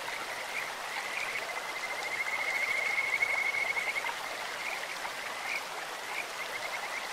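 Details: Kajika frog calling in a clear stream, a high, steady whistled trill that swells in the middle of the clip and fades, with short chirps around it over constant broad rushing water.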